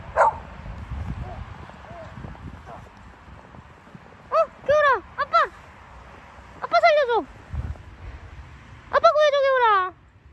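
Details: Samoyed out in the first snow of 2020, reacting as its owners pretend to faint in front of it: several high, wavering whining cries that rise then bend downward, grouped in bursts, with the owners talking in Korean between them.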